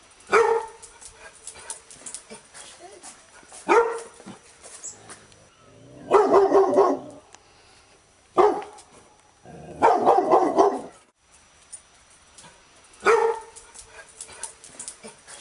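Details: Labrador Retriever giving six bark bouts over fifteen seconds. Short single woofs alternate with longer, harsher rattling runs, separated by pauses of a couple of seconds.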